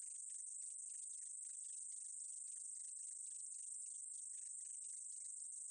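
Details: Meadow katydid, 2020 recording: a sustained high, thin sizzle with rapid scratchy ticks scattered below it, even in volume from start to end, no other animals or noise audible.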